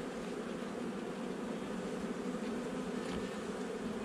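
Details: Steady, even droning of many honey bees during an 8 July 2020 inspection of a nuc hive set up roughly a month earlier. The dense, unbroken buzz continues without pause.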